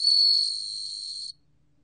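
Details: Short burst of bell cricket song, recorded in 2020 by the National Institute of Biological Resources: one loud ringing swell that fades to a softer sustained high tone and then stops suddenly.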